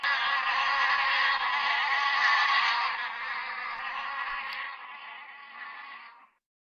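A bee gives a steady, dense buzz that holds level for several seconds, then cuts off.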